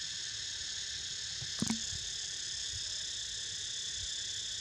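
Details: Cicadas droning while a pet named Niko snoozes: several steady, unbroken high buzzing bands hold throughout, with one brief sharp knock near the middle and a low rumble underneath.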